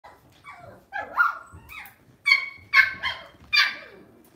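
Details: Lhasa Apso pet dog kept at home: soft rising whines give way to three sharp, high-pitched yapping barks, each brief and ringing with bright overtones.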